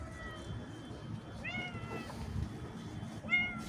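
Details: Cat out on a walk with its owner, giving two short rising-then-falling meows about two seconds apart over steady rustling and outdoor background noise.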